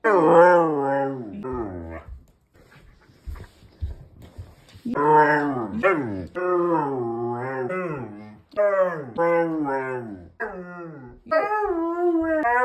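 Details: Siberian Husky indoors yelling at its owner for scaring off his pig friend: long, wavering, whiny howl-talk phrases that rise and fall, with a quiet pause of small clicks midway.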